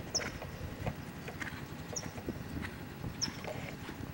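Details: Hoof clip-clop from Lavrador, a Lusitano stallion: uneven knocking footfalls over a low rumbling background, with short high chirps every second or so.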